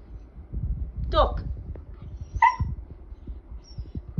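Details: Siberian husky wanting to play gives two short yowls: a quick wavering cry, then a brief steadier whine a second later, over low thumping and a woman's voice.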